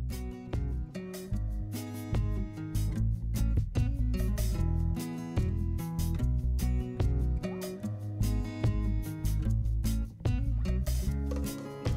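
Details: Steady strummed acoustic guitar music fills the whole passage, with no animal voices audible.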